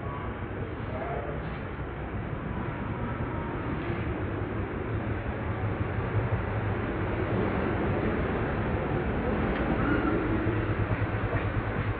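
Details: Steady broadband rumble like a passing vehicle or train, with faint voices beneath and no animal calls.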